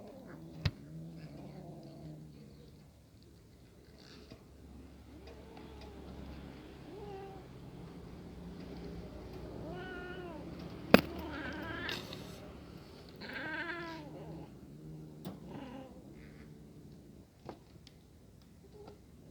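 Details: Hungry kitten watching a pair of cats eat together; a steady low hum runs underneath, with scattered mewing, then a cluster of louder, arching, harmonic meows in the second half, separated by clicks and small knocks.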